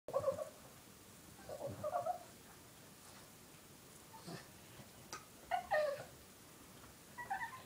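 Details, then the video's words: A 3-year-old male Boston Terrier cries after his 1-year-old Boston Terrier sister took his bone, whining in short, high, wavering bursts separated by quiet pauses. "Boston Terrier crying"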